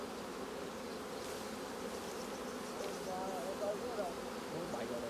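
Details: Honey bees drone steadily around the hive while capped honeycomb is harvested. The low buzzing hum stays constant, and people talking in Khmer briefly overlap it partway through.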